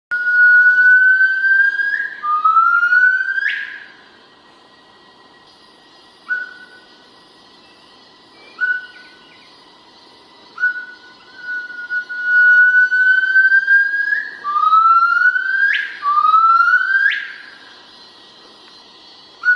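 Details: Hainan gibbons in a conservation project give a duet to mark territory and show their pair bond: clear whistled notes that slide upward, building into sharp rising swoops, in phrases broken by short silences.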